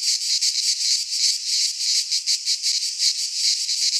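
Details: Cicadas in a Greek pine forest at midsummer, singing as a shrill, sizzling wall of sound that swells and dips in rapid beats, steady throughout and with no other noise.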